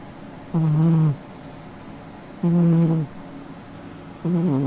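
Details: A pet cat snoring in its sleep: steady low, buzzy snores of about half a second, three in a row, spaced roughly two seconds apart in an otherwise quiet room.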